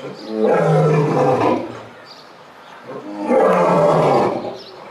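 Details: Lions at Belgrade Zoo in captivity roaring: two long, loud, harmonic roars, each lasting over a second and separated by a quieter pause, deep and rasping with strong low tones.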